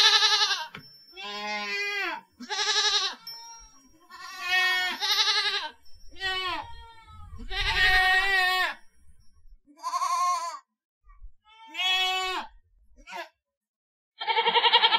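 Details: Series of goat bleats, about eight wavering, vibrato-laden cries of varying length separated by brief pauses, some harsh and nasal, others shorter and falling; a faint low rumble sounds near the middle.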